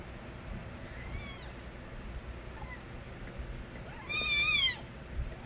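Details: Stray kittens crying: one loud, wavering, rising-then-falling meow near the end, preceded by two faint, thin mews, over a steady low background hum.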